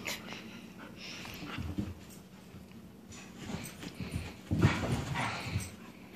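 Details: Loki, a Siberian Husky, playing and tackling a laser pointer indoors while his sister, a husky/German Shepherd, interferes; soft whimpers, yips and panting bursts, with a louder scuffle of yips near the end.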